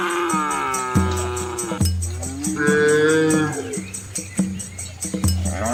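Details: Herd of red village cows with calves crossing a small river in rural Asia; overlapping drawn-out moos, one higher and wavering, over a low steady drone and regular high ticking.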